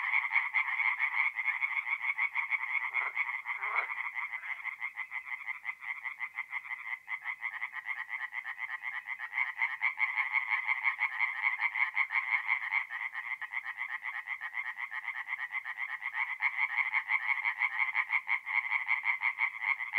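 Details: Forest pond at night in mid-April, north-east Italy, where many tree frogs sing together: rapid harsh pulses repeated about three times a second, steady throughout, with two brief lower croaks early on.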